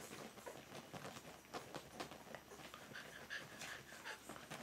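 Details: Two-week-old Berger des Pyrénées (Pyrenean Shepherd) puppies panting in quick, rhythmic breathy bursts, with a few faint squeaky tones near the end.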